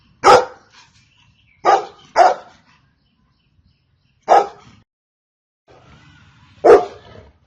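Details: A Golden Retriever gives five deep, abrupt barks at uneven intervals, two of them close together near the two-second mark, with near silence between each bark.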